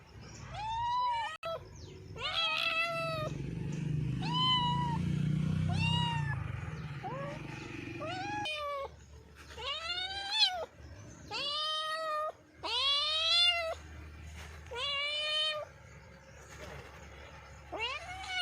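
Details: Cats giving a run of short arched meows, many rising then falling, some high and thin and some lower, overlapping at times, over a low rumble in the first half.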